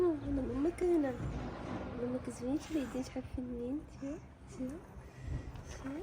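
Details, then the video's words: Ginger kitten indoors in a small room, meowing in a rapid run of short arched mews, several per second, while a woman talks and coaxes it nearby. "The cute kitten meows"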